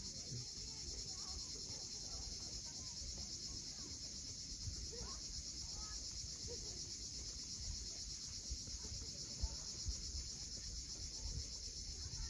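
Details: Sunset chorus of cicadas above the sea at Cape Fiolent in Crimea: a continuous shrill buzz holding one even level throughout, layered over the deep, churning noise of waves along the steep shore.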